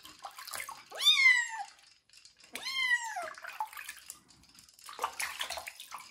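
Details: Kitten named Joe crying while bathed for the first time and treated for fleas; two loud, drawn-out meows that rise then slide down, about a second apart, amid running water and splashing.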